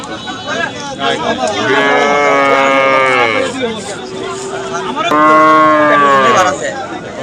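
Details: At the Hasukhali cattle market on a Friday in 2025, cattle low twice. Two long, harmonic moos about three seconds apart, the second louder and rising slightly, over a background of market chatter and voices.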